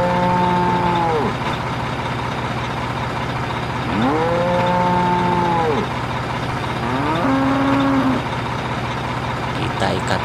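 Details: A black cow being taken for Eid al-Adha qurban slaughter in Indonesia, amid a steady truck engine hum, lets out three drawn-out moos, the last one shorter and higher.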